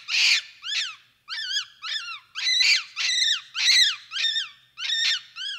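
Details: Capuchin monkey giving a rapid series of high, arched, whistle-like calls, each rising then falling, about two per second, some louder and rougher, with no other sounds.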